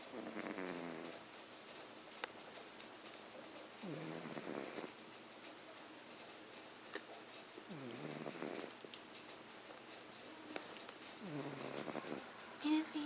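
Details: Two Norwegian Forest Cat sisters asleep, one snoring much louder than the other: low rasping breaths with rising-falling contours, recurring about every three to four seconds, with a short sharp click near the end.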